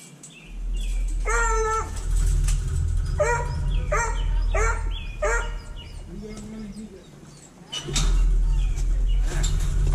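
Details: Penned hounds being put back one by one after feeding and kennel cleaning, filmed with a GoPro Hero 5 Black; a run of short, ringing, harmonic yowls repeats quickly over steady low rumble and some speech.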